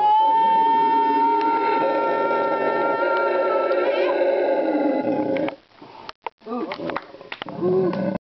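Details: From Parque Ambue Ari, Inti Wara Yassi, Santa Cruz, Bolivia, February 2009: a howler monkey's long level howl for about five seconds, followed by quieter broken, choppy sounds and brief gaps.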